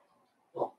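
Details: Blenheim Cavalier King Charles Spaniel puppy from a litter of five born at New Year, kept in a home puppy pen: a single short, mid-pitched yip after a quiet lead-in, with a faint low background hum.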